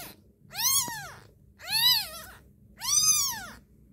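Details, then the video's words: Three plaintive kitten cries, each a bright arched mew lasting under a second, evenly spaced about every 1.2 seconds, with a soft background hum. "kitten cute crying"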